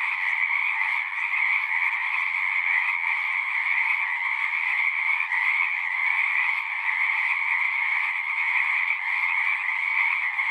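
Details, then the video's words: Frogs singing in a dense, continuous chorus: many overlapping trilled croaks form a steady buzzing band with a lower layer beneath, unbroken and even in loudness throughout. "One hour of singing frogs."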